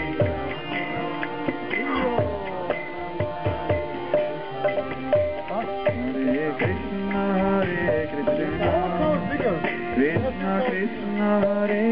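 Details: Indian music plays throughout, with tabla drumming and a plucked sitar melody and no animal voice.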